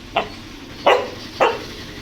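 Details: Pet dog Veera barking insistently, wanting to go into the air-conditioned room; three short sharp barks spaced about half a second to a second apart, over a low steady room hum.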